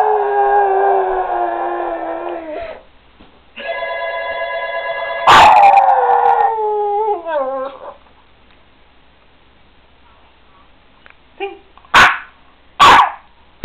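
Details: A Boston Terrier "sings" to a ringing phone, howling in long, wavering tones that slide downward, with a few sharp yips near the end.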